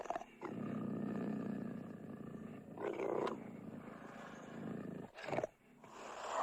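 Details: Cougar snarling and roaring with a long, continuous guttural growl that rasps on for several seconds, louder swells about halfway, a brief break, then a renewed harsh snarl rising at the end.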